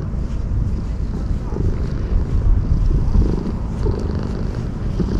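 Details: Sakura-neko strays, ear-tipped after neutering and sharing their space with homeless people, nuzzle in hard when stroked after being fed and tidied up. A continuous deep, throbbing purr fills the clip without pause.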